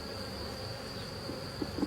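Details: A sparse drone-laying honey bee colony buzzes softly while wax bridges are removed from its hive during a rescue; a low, continuous hum and a constant high whine, with small taps near the end.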